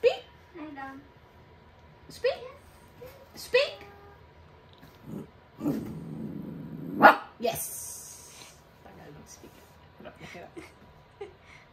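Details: Callie, a pet dog playing with her owner indoors, gives a few short, sharp barks at irregular intervals, mixed with a person's spoken commands and praise and a brief rustling burst near the middle.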